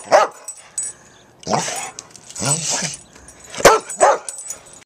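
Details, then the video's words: Boxer dogs, a two-year-old boxer and a seven-year-old boxer/lab mix, playing together in the snow on Christmas morning; sharp short barks and yips in separate bursts, with a few longer harmonic vocal sounds between them. "Boxer dogs playing in the snow on Christmas morning."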